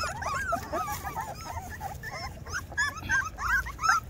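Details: Two-week-old Rottweiler puppies, several together, giving a dense stream of high, wavering whimpers and squeaky yips that overlap constantly, each cry sliding up and down in pitch, with a low background hum throughout.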